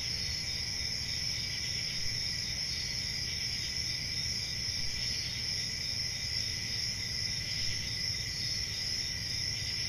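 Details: A peaceful country summer night filled with crickets: an unbroken, shimmering high trill at two steady pitches, level throughout, with soft low background rumble.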